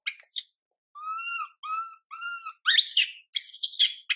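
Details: Infant monkey Mila, whose mother Milika does not care for her, gives one thin shriek, then four short steady whimpering coos, followed by harsh, noisy high-pitched screams.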